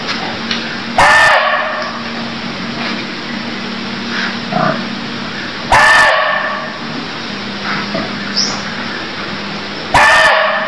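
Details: Cambodian barking deer calling: three abrupt, hoarse barks about four to five seconds apart, each sharp and loud, set against constant background hiss and a few faint lower sounds.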